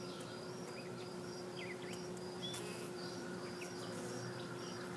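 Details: Western honey bees in a bee yard lapping up sugar water sprinkled on their frames give a steady, low droning hum, with faint bird chirps above.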